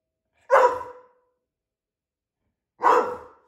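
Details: An Australian Shepherd, a medium-sized 25 kg dog, barks twice indoors while its loudness is tested with a noise meter app: two short, harsh barks about two seconds apart, with silence between them.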